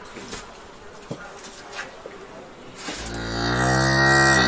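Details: Cow mooing in a rural ambience. A few seconds of quiet background with scattered knocks, then a loud, low, rich-toned moo begins and swells steadily in volume until the end.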